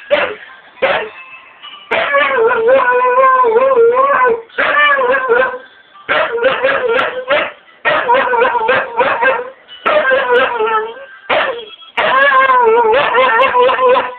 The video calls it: Husky-Chalky singing a song